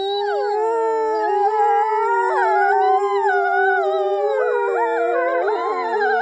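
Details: A wolf pack howls in chorus as a person howls along with them. Many sliding, wavering voices overlap continuously, some swooping upward and others dropping, over a sustained lower drone.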